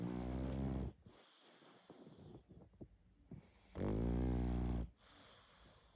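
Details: Sleeping pug snoring loudly: two long, rasping, deep harmonic snores about three seconds apart, each ending abruptly, with soft breathy rustles in the quiet gap between.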